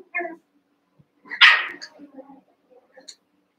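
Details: Young Cavalier King Charles Spaniel puppies wrestling and playing together in an indoor pen, eight littermates and pen-mates; one sharp, loud puppy bark stands out among softer yips and growly grumbles.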